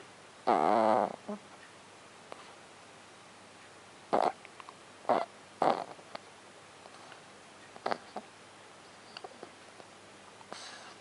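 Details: A French bulldog snores, short rasping snorts at irregular intervals, the first one longest, with quiet gaps between.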